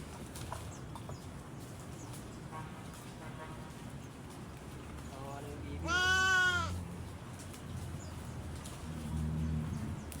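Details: Sheep being fed, giving one clear wavering bleat with stacked harmonics around six seconds, amid low background rumble and faint voices.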